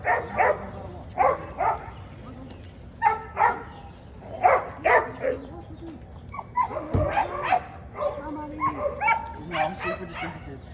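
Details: Margo, a dog in training, barks repeatedly in sharp bursts spaced about a second apart, mixed with a person talking over the barks.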